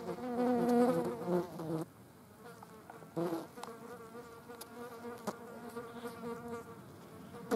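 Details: Green bottle flies at a dead mouse, a loud steady harmonic buzz for nearly two seconds, then softer continuous droning with brief clicks as more flies hover nearby.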